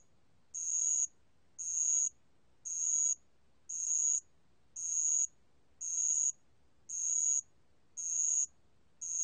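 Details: Steady, high-pitched chirping of a bell cricket from the National Institute of Biological Resources, 2020: nine ringing half-second pulses evenly spaced about a second apart, with silence between them.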